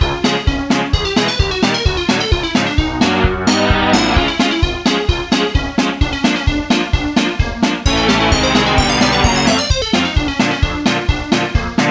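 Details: Bright, bouncy keyboard music with a steady beat plays throughout. No animal voice can be picked out.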